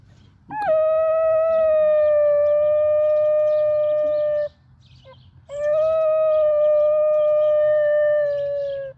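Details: A 9.5-month-old male Basenji gives two long, steady howls, each about four seconds, with a short yelp before, just after leaving a park where he was enthralled by young female dogs.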